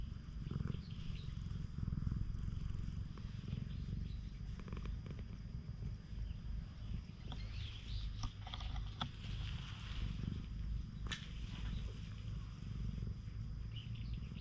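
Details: Stray cat on a cat island, stroked and touched by hand, filmed on a GoPro HERO8. A steady, low rumbling purr runs beneath outdoor noise, with scattered rustles and clicks from handling.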